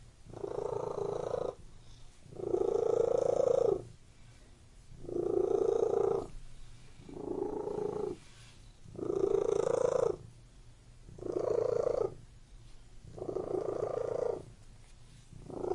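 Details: A pet cat purrs in a regular breathing rhythm, each vibrating phrase lasting about a second before a brief quieter gap, repeated seven times with even, rumbling intensity.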